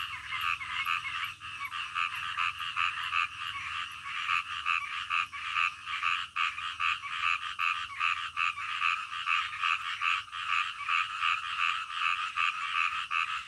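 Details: Frogs calling at midnight, peaceful nighttime nature: an unbroken chorus of fast, pulsed croaks, roughly two or three per second, many voices layered together over a soft low background drone.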